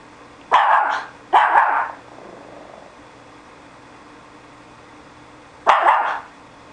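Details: SuperSaurus, a pet dog newly acting as a guard dog, gives two sharp barks in quick succession, then a pause and a single further bark; indoor room hum underneath.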